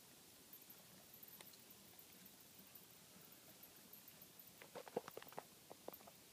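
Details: High-pitched twittering from bats in an attic, checked for unexplained noise: a long string of fine, rapid chirps in the first half, then a cluster of sharp knocks and scraping taps near the end.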